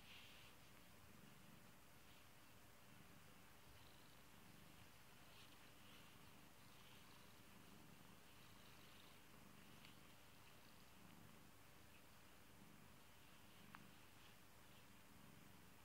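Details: Pet kitty purring steadily indoors, a soft low rumble swelling and fading in breathing cycles about every one and a half seconds, with faint light clicks above.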